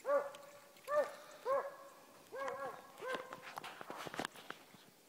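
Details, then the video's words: Trailing Beagle/Walker mix jump dog on a hunt, giving a run of ringing, arched bawling bays about every half second to second, fading into rustling and footsteps at the end. "This is a Working dog Shaggy trailing and hunting"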